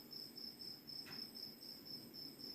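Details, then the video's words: After midnight in Kokrobeite, Ghana, West Africa, a cricket gives short, high, ringing chirps about four times a second, steady and even, louder than the faint hiss and low rumble of ocean waves. "well i think the cricket is kind of louder than the ocean"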